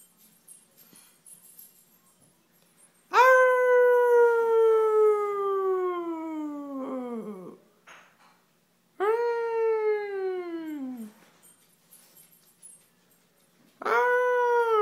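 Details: Domestic dog giving three sustained howls, the first lasting over four seconds and the later ones shorter. Each starts high and bends smoothly downward, ending in a drooping fall, with brief soft noises between them.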